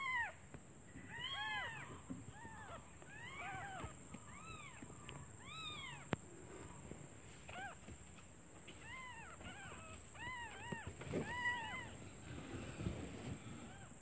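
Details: Newborn kittens calling their mother out of hunger while she is away searching for food; high arched mews, several overlapping voices early on, then fainter and sparser, over a low background rumble and a steady high whine.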